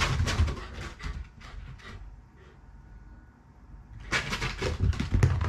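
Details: A Shiba Inu, a family pet, growls playfully after a bath while its coat is squeezed dry. The growl is affectionate and excited, not angry. Low rumbling pulses come in bursts, with a quieter lull in the middle and rubbing noises.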